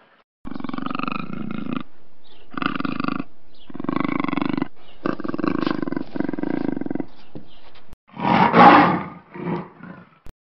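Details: Black panther roaring in a series of hoarse, drawn-out rumbles of one to two seconds with short gaps, ending in a louder, harsher burst and two fading grunts.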